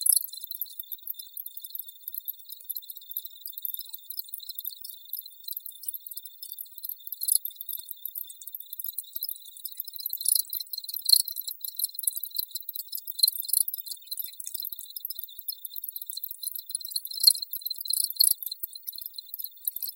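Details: Crickets in a steady, high-pitched chorus of rapid shimmering pulses, with brief louder bursts every few seconds and no low sounds, voices or other animals.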